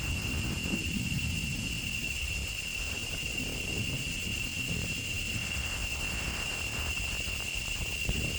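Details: Male cicadas sing a steady, shrill drone that holds one high pitch without a break, in the last week of May as summer ends and the rains begin.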